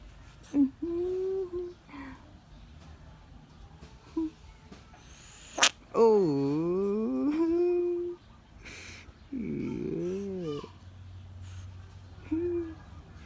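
A bullfrog gives loud, wavering screams, harmonic wails that rise and fall, with brief pauses between.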